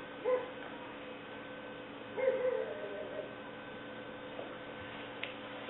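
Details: Black/white tri female English Springer Spaniel puppy Leah, aged six weeks, recorded 5/11/09, makes two short whimpering squeals a couple of seconds apart, then quiet with a steady background hum.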